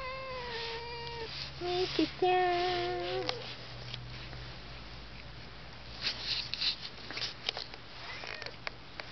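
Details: Domestic cat named Mike, number 32 in its series, talking to itself in 'cat language'. Two drawn-out harmonic meows: a steady, level one, then a longer one that wavers and bends. Quiet follows, with a few faint clicks and rustles.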